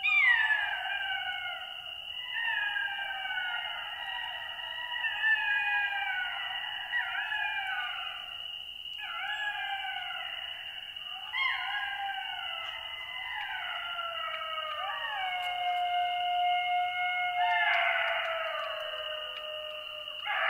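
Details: Golden jackal pack in chorus: many voices howling together in wavering, descending and rising wails, repeatedly sliding downward, building into a dense overlapping crescendo near the end, with a steady high whine throughout.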